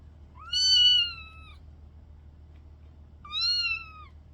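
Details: Kitten near her sister, about to cuddle. Two clear, high meows come roughly three seconds apart. The first is longer and louder, and both are steady in pitch with a slight fall at the end.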